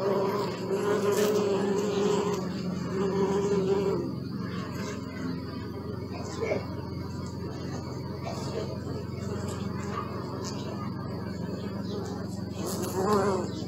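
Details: Bees recorded close up on a Sony Alpha 6000 with a 55-210mm lens and close-up filter: a layered droning hum whose pitch wavers as insects pass, strongest early on, then a softer, steady background buzz.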